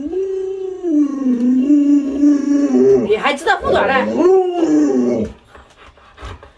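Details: Luoluo, a pet Alaskan Malamute, reacting indoors as its owner wears a mask to scare it: a long, steady, low howl held for about three seconds, then broken by people talking over it, before a short rising howl returns.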